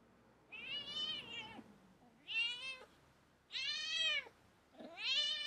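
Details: Pet cat indoors giving four long, drawn-out meows, each rising then falling in a strained, wailing tone, with quiet pauses between them.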